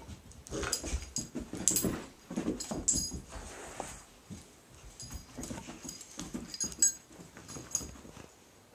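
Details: Mickey, a pet dog, playing with his favourite toy Blacky; rough, low growling bursts come in uneven clusters across about nine seconds, with a few sharper clicks and rustles between them.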